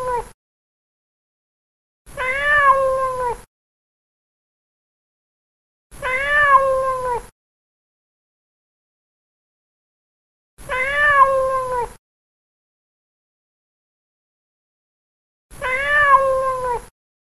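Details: A fat house cat at play meows repeatedly. Long, slightly downward-sliding meows come every four to five seconds, with near silence between calls.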